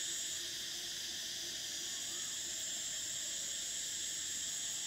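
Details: Dense summer cicada chorus: an even, piercing hiss-like whine held without pause, its loudest shrill band steady throughout, and a faint low pulsing undertone.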